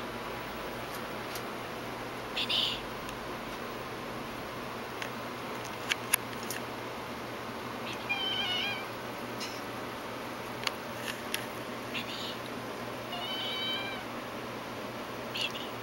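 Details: Minnie, a pet cat from a family of cats, meowing indoors: a few soft, high, wavering mews with stacked harmonics, spaced several seconds apart, with light clicks and household noise between them.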